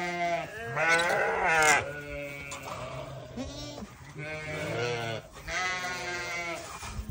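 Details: Newborn lambs bleating: several wavering, harmonic-rich bleats rise and fall in close succession, some overlapping, with roughly four to five calls across seven seconds.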